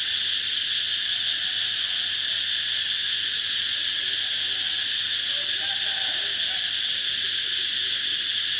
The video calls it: เสียงจักจั่น Cicada sound